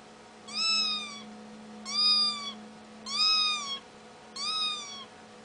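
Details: Young cat calling with four clear, slightly arching meows about every 1.2 seconds, rich in overtones, against a faint steady hum indoors.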